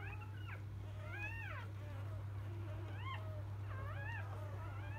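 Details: Field-line Labrador Retriever pups minutes after birth give thin, arching, mewing squeals in short bursts with brief gaps between them. A constant low hum runs underneath.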